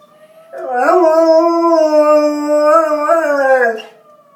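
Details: A Bernese Mountain Dog howls at a fire alarm. One sustained, even howl of about three seconds, with a small upward lift near the end before it fades. A faint alarm tone lingers afterward.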